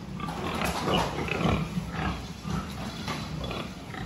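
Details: Farm pigs recorded at a health check, 26 October 2023: rough, low grunting pulses, loudest near the middle, repeating irregularly almost twice a second against steady mechanical background noise.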